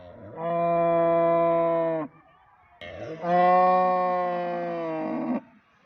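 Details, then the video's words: Cows mooing: two long, steady, droning moos, each lasting about one and a half to two and a half seconds with a short quiet gap between them, the second one louder at the start. "cow mooing sound effect compilation - Cows sounds humboo humboo and Mooing at its best"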